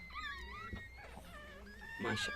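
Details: Whining from a Chihuahua while giving birth: one long, high, wavering whine that dips and rises, ending in a sudden rustling burst of noise.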